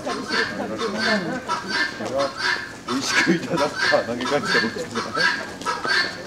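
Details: Chimpanzees at Asahiyama Zoo in the old chimpanzee house on May 9, 2005, reaching for food scattered on ceiling netting, one scolded by another, give rapid, harsh, honking calls that rise and fall.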